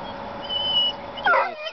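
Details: A Yorkshire Terrier on a deck, avoiding the vacuum indoors and gazing at something in the distance, gives a thin, high, drawn-out whine, followed by a brief sharper yelp-like sound.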